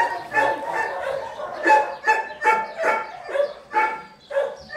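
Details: A Dobermann gives a rapid series of sharp, harmonic barks, about two or three a second, each short and loud with brief pauses between.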